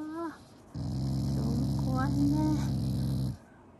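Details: Shiba Inu growling while eating as a show of affection, not anger: a low, steady rumbling growl lasting about two and a half seconds, with a woman speaking Japanese over it and a hiss in the background.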